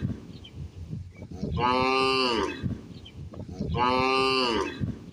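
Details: Cow feeding outdoors with a calf; two matching sustained moos roughly two seconds apart, full and harmonic, over a low noisy background.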